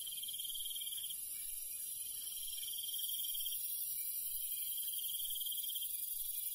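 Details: Crickets and other night insects in the countryside after dark, trilling in steady pulsed bursts about a second long with brief pauses, a high continuous insect hiss layered above.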